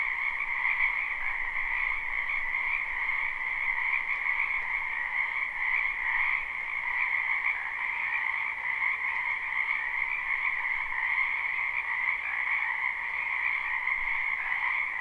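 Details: Spring wetland frogs in full chorus, recorded live with no looping; overlapping croaks merge into an unbroken buzzing drone with a bright upper band and a lower band, steady in loudness throughout.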